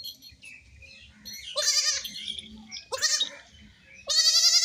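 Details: Young goats at play give loud, quavering high bleats, three main cries rising out of quieter murmuring, the last one long and steady, with a faint low hum beneath.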